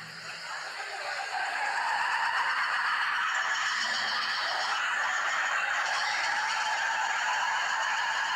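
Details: Red ruffed lemurs (Varecia rubra) give a loud, harsh, raucous din of overlapping honking cries that swells and holds.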